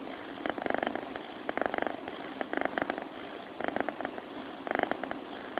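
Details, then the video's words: Soft, rattling purr from a cat in its sleep, grouped into short rhythmic bursts close to one per second with quieter gaps between breaths. "FUNNY CAT SOUND SLEEPING SOUND"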